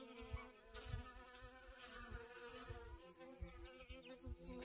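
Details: Honey bees working sunflowers for pollen in a garden, August 25th 2021. A continuous humming drone runs throughout, underlaid by soft, irregular low thumps of handling or wind noise.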